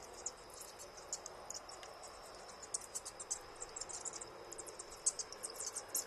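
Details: High, rapid ticking squeaks from bats of a large storeroom colony flying at night, scattered irregularly and thickening toward the end, over a faint constant whine.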